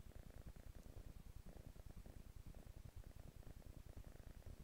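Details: Kitten lounging on a couch, purring: a low, steady rumble of rapid, evenly spaced pulses that throb continuously under a soft breathy hiss, with no other sounds.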